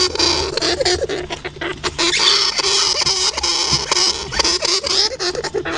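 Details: Hamster giving short, thin high-pitched squeaks in scattered bursts, nearly buried under constant dry scratching and rustling patter, with a faint low steady hum underneath.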